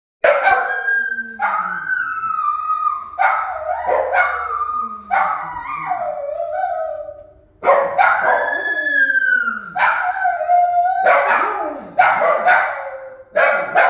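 Shih Tzus howl in long, wavering, overlapping cries that rise and fall.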